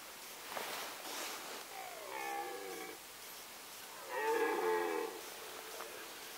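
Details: Rutting red deer in the Sandomierz Forest, 2018: two hoarse, harmonic roars about two seconds apart, each roughly a second long and slightly falling, against low forest hiss.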